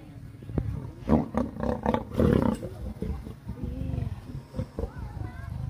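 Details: A huge lion being fed gives deep, rumbling growls in rough bursts, with a person's voice heard briefly.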